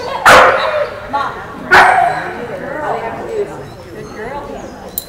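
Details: Female Australian Kelpie working goats at a herding test in the United States: two loud, sharp barks about 1.4 seconds apart, followed by fainter human talk.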